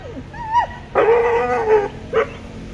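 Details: Pet dogs, a German Shepherd and a Boxer: a thin wavering whine opens, then a steady tonal whimper held for about a second, ending in one brief yelp over a faint background hum.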